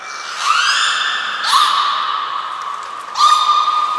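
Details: Belugas Nana, Mirai and Niko in training at Port of Nagoya Public Aquarium on 11 January 2021; a mid-pitched whistle slides upward and then holds level, broken by two short upswept notes.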